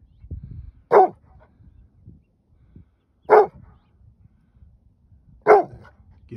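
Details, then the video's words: Rhodesian Ridgeback named Judge barking after chasing a coyote into nearby brush, answering the coyote pack's barking and screaming. Three loud single barks spaced about two seconds apart, with quiet low rumble and a person's voice between. "Rhodesian Ridgeback Judge, barking"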